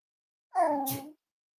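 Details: Cavalier King Charles Spaniel puppy, five weeks old, from Myra and Remy's litter, indoors during weight checks at a kennel livestream; a single short whining cry, tonal and slightly falling, lasting about half a second, with a faint breathy noise at its end.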